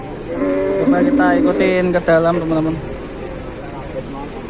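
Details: A large cow lying helpless gives a harsh, wavering low moo lasting about two and a half seconds, with a few rough breaks, against a steady background hum.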